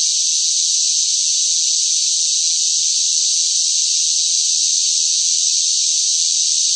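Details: Loud cicadas in sweltering summer heat: one unbroken, hissing high-pitched drone holding steady in volume throughout, with no pauses and no other sounds.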